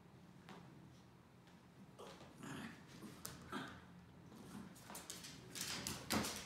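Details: Norfolk Terriers wrestling together on a mat indoors, giving short, rough, growly bursts at irregular intervals, mixed with scuffling and thumping of paws and bodies, with the noise building toward the end.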